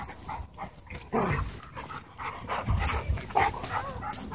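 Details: Dogs fighting at a dog park as a pitbull hybrid attacks two other dogs: rough, noisy barks and growling bursts crowd together in quick succession, with scuffling underneath.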